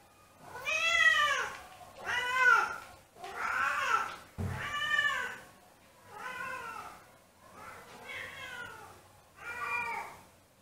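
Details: Siamese cats home alone howl while missing their owner: a series of seven arched, wailing meows, each rising and falling, repeated roughly every one and a half seconds indoors, with a brief bump or knock midway.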